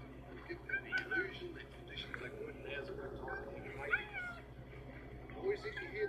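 Cheetahs give short, high, bird-like meows over a man's talking voice.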